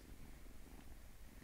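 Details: Close, loud purring from a small house cat: a deep, dense, unbroken rumble with rapid pulsing and no other sounds.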